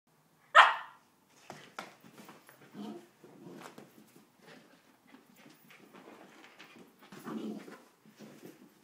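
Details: Female Samoyed indoors in one of her moods: one loud sharp bark at the start, followed by softer grumbling, muttering vocal noises through the rest.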